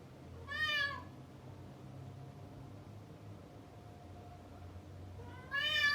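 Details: Male domestic cat shut behind a closed door after chasing a female cat, calling loudly indoors: one drawn-out harmonic meow near the start, a long quiet stretch with low hum, then a second meow beginning at the end.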